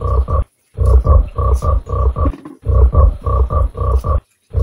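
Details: Giant frog, shown alongside a mud fish, gives loud deep croaks in quick pairs, each pair about half a second long, repeated about ten times with short pauses between.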